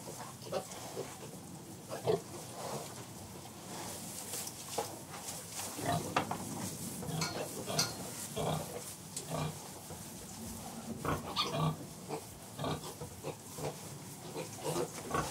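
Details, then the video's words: Sows with piglets in farrowing pens, described as contented; scattered low grunts and soft squeals over a busy background of rustling straw and clattering pen noise. "Sounds of Pigs Farrowing Pens"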